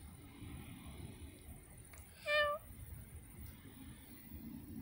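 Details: Ragnar, a cat playing in a bush outdoors, gives a single clear, tonal meow lasting about a third of a second, set against quiet background hiss.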